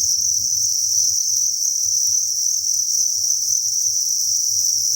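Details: A steady high-pitched cricket chorus from a breeding facility crowded with crickets, unbroken throughout, with a soft low rhythmic knocking pulsing roughly twice each second beneath it.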